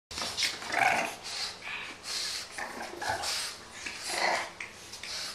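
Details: Eleven-week-old French Bulldog puppy playing roughly with and dominating a fourteen-month-old pug indoors; short scuffling growls, snorts and huffing bursts of noise recur through the clip, with panting breaths between.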